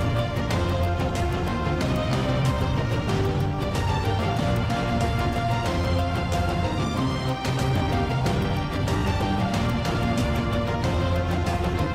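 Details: Steady instrumental music with a strong bass beat plays throughout, and no animal sounds are present.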